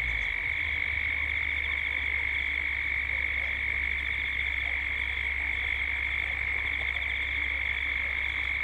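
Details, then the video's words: Gippsland, Australia, at dusk: many cicadas producing a constant shrill drone layered with a beating, vibrating higher tone, recorded in 3D, with a low steady hum beneath the whole chorus. "Cicadas at dusk"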